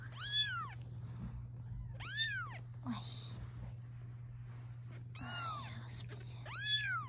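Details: Cat mother insisting that filming of her kittens stop: three or four strong, rising-then-falling meows spaced about two seconds apart, rich in harmonics, with a continuous low electrical hum indoors.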